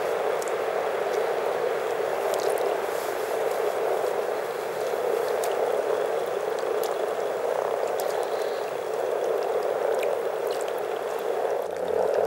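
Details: More than 300 frogs in Teisko, Pirkanmaa, Finland, in spring, produce a long, even, burbling chorus of countless overlapping low croaks, with occasional sharp ticks and clicks scattered throughout.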